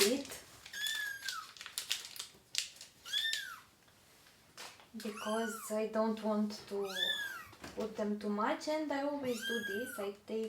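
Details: Crying baby kittens during deworming alongside their mother cat, three kittens in all; repeated high, arched meows rise and fall across the stretch, interleaved with a person talking in a small room.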